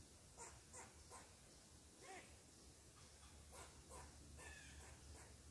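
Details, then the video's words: A squirrel, upset because someone is sitting in its tree, gives short, sharp barking chucks at uneven intervals before eventually climbing down to investigate. "Mad Squirrel Barks at Me, He Preforms His Own Investigation"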